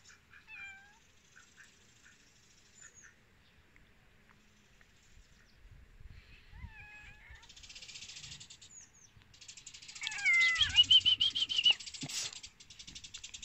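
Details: Hungry domestic cats waiting to eat, giving several short, high, rising and falling meows scattered through the clip, ending in a louder burst of overlapping meows with rustling and clatter.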